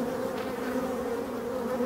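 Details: Steady low buzzing of many European dark honey bee drones emerging from forest hives, a droning hum with a strong deep tone; Dark honey bee.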